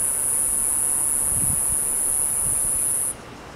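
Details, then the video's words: Cicada recorded from about ten feet away with a handheld telephoto lens. Its continuous shrill, even buzz holds for about three seconds, then cuts off abruptly, leaving faint background hiss. "Cicada Video and Sound"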